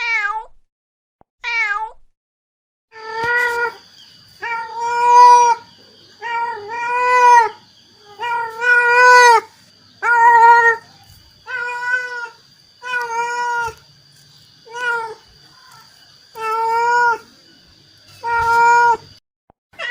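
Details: Repeated calls from a mother cat seeking her kittens: around fifteen clear, evenly pitched meows in quick succession over a faint steady high whine, with small clicks and bumps between calls.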